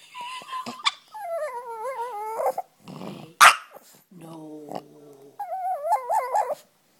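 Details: Yorkshire Terrier kept at home grumbling over not being allowed to chase the cat: drawn-out wavering whines, one sharp yip, a low groaning moan and a final quavering whine.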